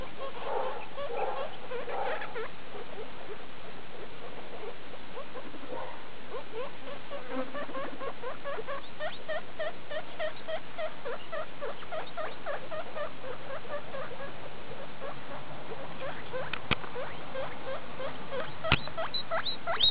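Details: Guinea pigs from CHS Luna, skinny Daisy with her babies of litter E2 born 2 August 2012, recorded 19 August 2012; many short rising squeaks and chirps repeated in quick irregular runs over a steady low hum.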